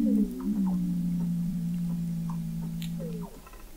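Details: Weddell seals recorded in November 2017 at the McMurdo Oceanographic Observatory, 21 m under the sea ice of McMurdo Sound, Antarctica: a low steady droning tone held for about three seconds, with faint brief chirps and downsweeps above it.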